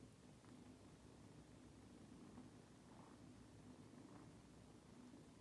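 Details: British kittens of the cat Kylie, together with the cat Cristal, indoors: a soft, steady low purr hums continuously with faint rhythmic pulses, quiet throughout with light background hiss.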